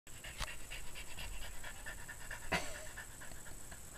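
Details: French Bulldog, a female on her first day with her new owner, responding to her: steady rhythmic panting breaths throughout, with a sharp click-like sound near the middle and faint background hum.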